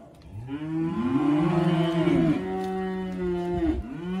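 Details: Hereford steers, March/April drop, one giving a long, loud, deep moo that bends upward then holds steady, followed by a second lowing that swells and fades.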